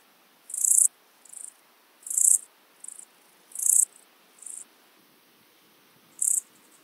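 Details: Siberian straw grasshopper, Euchorthippus pulvinatus, Fülöphaza, Hungary, 17 July 2022: strong high buzzy chirps roughly every 1.5 seconds, each followed by a fainter shorter chirp, then a gap before a final chirp.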